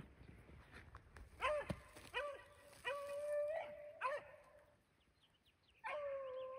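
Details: Beagles on a cold February 2023 rabbit hunt in upstate New York: drawn-out, tonal howling bays with rich overtones, about five in quick succession, some rising then falling, over quiet outdoor background.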